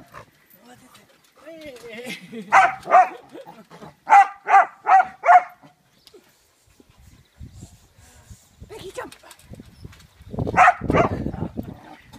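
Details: Kerry Blue Terrier Peggy barking while playing on a trampoline: low grumbling whines, then two barks and a burst of four quick barks, later rustling and a louder scuffling noise.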